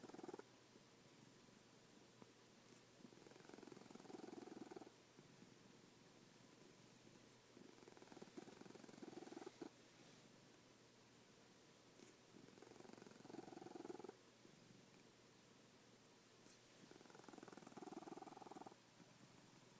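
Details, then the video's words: Cat asleep indoors, snoring softly: low, fluttering, rasping breaths returning every few seconds over a faint background hiss. "My snoring cat"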